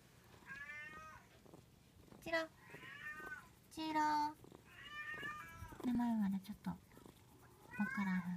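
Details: Munchkin kitten, 59 days old, indoors, giving a run of meows: short high wavering cries alternating with louder, longer calls, and one lower, drawn-out falling meow near the end. Faint human voices murmur in the background.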